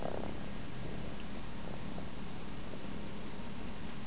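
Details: An Egyptian Mau cat purrs in a steady, low, rumbling drone close to the listener while contentedly sucking its paw.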